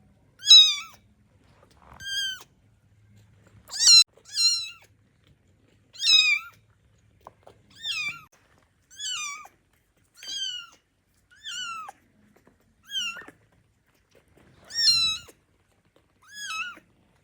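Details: Tiny hungry kittens, awake and wanting their milk bottle, cry in loud, high-pitched mews, each bending up then sliding down, about a dozen spaced one to two seconds apart across a quiet room.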